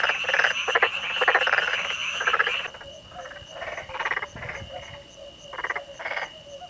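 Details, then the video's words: Calling Black-spotted pond frog recorded in Korea, using paired vocal sacs beneath the jaw: quick, grating pulse trains in dense bursts, thinning after three seconds into short separated croaks with a faint steady tone behind. "Pelophylax nigromaculatus Calling_video (참개구리의 울음소리_영상)"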